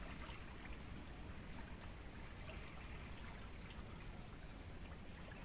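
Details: Crickets in a natural mangrove forest, recorded as training sound for songbirds: a steady, unbroken high-pitched tone runs without pause through the whole stretch over a low rushing background like flowing water.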